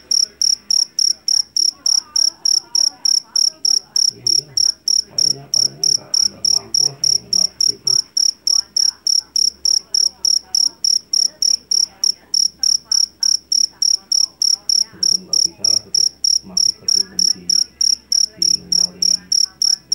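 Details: Jangkrik jeliteng, or Java field cricket, caught in a rice paddy and known for its loud, shrill voice: sharp, high chirps pulse steadily about three times each second throughout, over a faint low murmur and rumble in the background.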